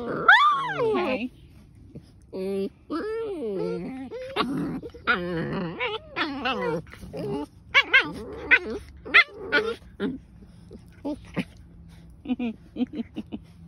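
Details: Two German Shepherds fighting viciously, giving loud, warbling yelps and pitch-bending whines in rapid bursts, then tapering into shorter, sparse cries with quiet gaps.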